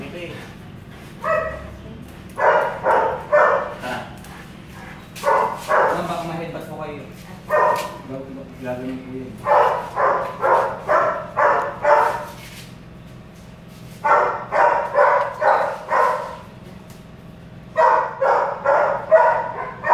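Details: At a Belgian Malinois stud session in Caloocan City, the dog lets out repeated bursts of rapid barks in clusters of four to six, separated by short pauses, while people speak nearby.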